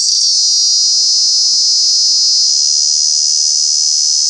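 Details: Loud cicada call at Kanha National Park, where these true bugs are noisy in summer: an unbroken shrill droning buzz, even in pitch and volume throughout, over a faint steady low hum.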